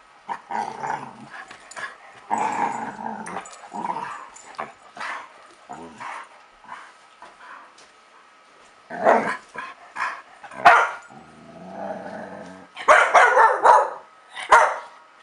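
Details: A young dog, 8.5 months old, tries desperately to get an older dog to play: bursts of growling and rough grumbling vocalisations in clusters, with pauses between, then a loud run of barks and growls near the end.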